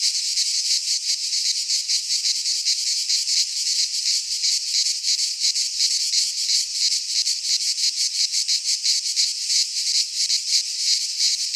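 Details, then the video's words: Many cicadas in a Greek pine forest sing in midsummer, making a harsh continuous high buzz that pulses quickly and evenly, nothing else audible. "Cicadas singing in midsummer - Nature sounds from the Greek fauna - Sounds of cicadas"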